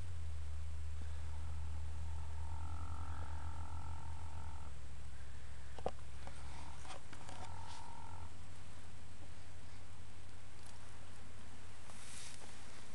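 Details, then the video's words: Dream, a male 10-year-old registered foxtrotter horse, hums while relaxing in old hay piles on an afternoon nap after romping in the yard; a steady low droning tone holds about five seconds with faint higher overtones, then softer humming and light rustles. "Horse snoring/humming"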